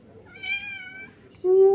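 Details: Pet cat meowing indoors, asking for food: a harmonic-rich, drawn-out meow with a fainter, level earlier cry, followed by a brighter rising meow at the end.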